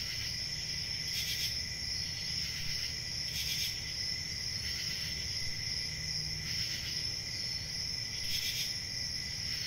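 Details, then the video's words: Continuous shrill cricket chorus holding a high, even trill, with short brighter bursts recurring every one to two seconds above a faint low hum. "Cricket Sounds"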